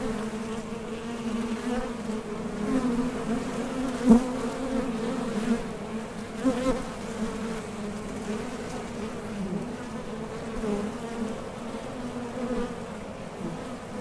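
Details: Continuous low buzzing of honey bees at the entrance of a Top Bar Hive, bees departing and landing on nectar-gathering trips; the hum wavers in pitch with brief close fly-bys.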